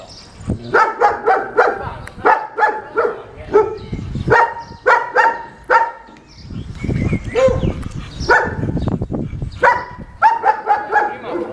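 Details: A German Shepherd described as unmanageable, during its second training lesson, barks in rapid bursts of loud, harmonic woofs, several per second, with brief pauses. Low rumbling traffic-like noise fills the gaps.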